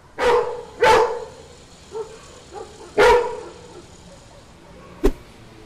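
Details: Yellow Labrador Retriever, a pet dog, barking at night in response to street dogs barking: two loud, sharp barks in quick succession, a third after a pause, then a short clipped bark, with faint softer barks in between over quiet background.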